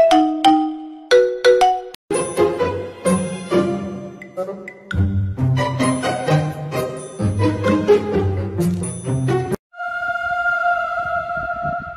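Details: Bright tinkling music of chimes and mallet percussion over a bass line, with no animal voice.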